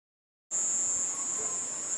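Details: Cicada singing at nightfall in a garden among night sounds, with bats flying nearby; a steady, unbroken high-pitched buzzing drone that starts abruptly and holds at constant pitch.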